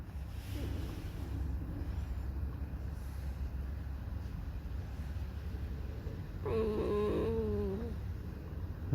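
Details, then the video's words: Alisa the fox in a whiny, irritable mood, squeaking out her sad 'song': one drawn-out quavering whimper with wobbling pitch, set against constant low-frequency room noise. "Lisa Alicja piszczy, śpiewa smutną piosenkę / Алиса лиса Скрипит, поет заунывную песню"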